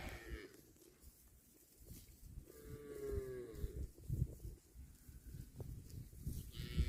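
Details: While a cow eats grass, one moderate, slightly falling moo sounds in the middle, surrounded by constant munching, rustling and thumping from grazing.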